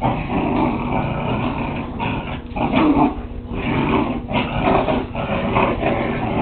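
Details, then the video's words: Whippet puppies at play give continuous rough growling with louder bursts and short yips, filmed with a Kodak DX6440 digital camera. "Whippet Puppies Playing"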